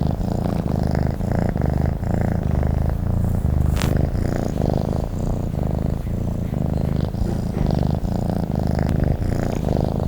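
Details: Purring from a sleeping cat: deep, buzzing, pulsed rumble alternating between inhale and exhale phases, with one brief faint click near the middle.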